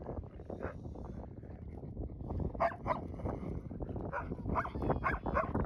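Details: A loud, mouthy male husky plays with wolfdogs on a windy afternoon, giving short yips, whines and grumbling barks over steady wind noise.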